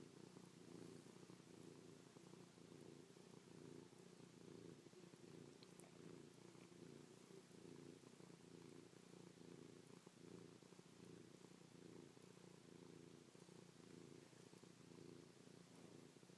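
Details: Affectionate house cat named Chloe purring while pressed close, kissing and pawing her owner's face; an unbroken low, rough purr with a gentle rhythmic pulse of inhale and exhale, one faint click midway.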